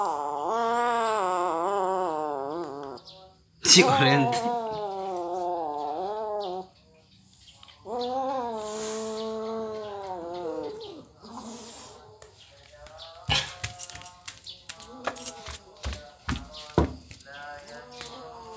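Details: Kitten crying in long, strained, wavering meows, two sustained wails early on, followed by handling clatter and scattered knocks in the second half.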